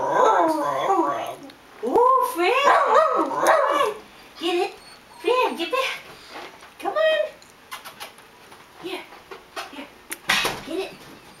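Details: Pet dog "talking" after a game of balloon-bop, signalling she wants to play with something else: expressive, whiny, rising and falling yowls in bursts over about four seconds, then shorter broken grumbles and a few scattered sharp noises.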